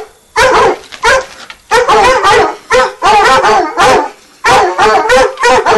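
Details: Two 9-month-old Redbone Coonhounds tree their quarry, baying steadily at a tree with loud ringing barks in quick succession.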